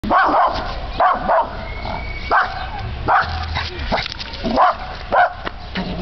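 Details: A dog barking at a trash bag it dislikes: short sharp barks repeated roughly every second, some in quick pairs, with faint background hum.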